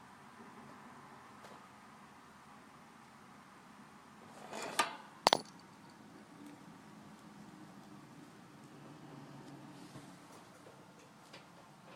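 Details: Quiet room hum with two sharp clicks midway and no animal calls.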